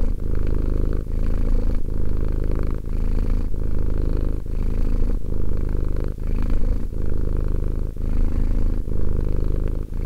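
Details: Two-year-old cat Romek purring contentedly, a low vibrating drone that swells and pauses in a regular breathing rhythm, just under a second per cycle.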